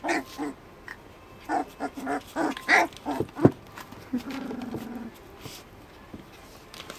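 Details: Border Collie puppies at three weeks old, Queenie's litter: a burst of short whimpering yelps and squeals through the first few seconds, then a drawn-out low whine, fading to quiet moans and rustling.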